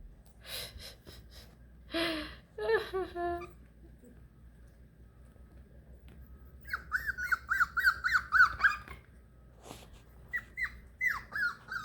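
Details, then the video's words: Beagle puppies, four weeks old and away from their mother for the first time, give scattered squeaky whimpers indoors: a few breathy cries, then a quick string of short high yelps and two later downward-sliding squeals. "How will Beagle puppies react 1st time away from their mommy!?"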